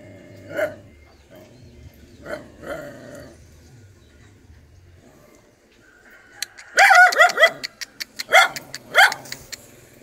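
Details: Dog nursing its puppies; a few soft, muffled yelps early on, then a quiet gap, then a quick flurry of sharp, high, ringing barks and yips packed close together near the end.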